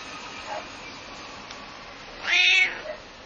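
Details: Slightly angry pet cat answers a neighbour's barking dog with one short, loud, high meow just past the two-second mark, after a very faint earlier sound.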